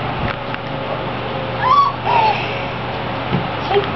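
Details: Six-week-old Clumber Spaniel puppies from the Tricklecreek litter playing together indoors; two short high whining whimpers, one level then one falling, over a steady hum, with a few soft taps.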